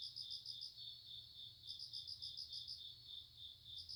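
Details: ['Shrill, unbroken high trill of grass insects, joined by bursts of quick ringing pulses lasting about a second, separated by short gaps, with a faint low background hum.']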